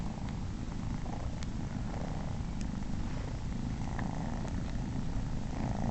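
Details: Momotaro, a male house cat, purrs happily while nursing three kittens that are not his own. The purr is a continuous low, deep rumble with an even rhythm and no breaks, dense and unwavering from start to finish.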